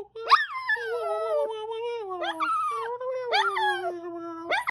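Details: Singing Chihuahua giving about four drawn-out wavering howls, each opening with a sharp high yelp that slides down into a long, steady, lower moaning tone, loud and close.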